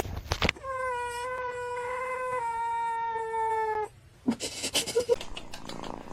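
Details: Domestic cat giving a long drawn-out meow of about three seconds, steady and harmonic with a slight downward drift, followed by clattering noises and brief voices.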